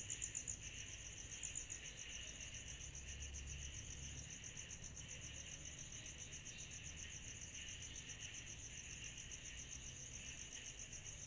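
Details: On a summer night, cicadas produce a high, rhythmic pulsing trill, slightly less crisp here, blended with a continuous hiss. A low rumble is heard early on.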